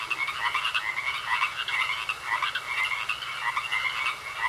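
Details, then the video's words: Frogs croaking in a pond, a dense overlapping chorus of rapid raspy pulses with a steady high tone running beneath, no silence between calls and no other clear sounds. "Sounds Of Frogs Croaking In A Pond"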